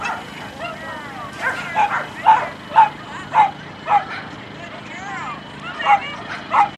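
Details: German Shepherd female at her first AKC Coursing Ability Test, April 13, 2012, in Perry, Georgia: rapid, excited high yips and barks roughly twice a second, with voices and outdoor noise around.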